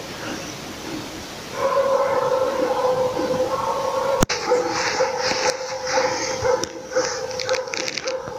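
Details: Laika on a moose hunt, baying at the moose: fast, ringing barking run together into a near-continuous wavering tone, growing louder after the first second and a half and holding steady to the end.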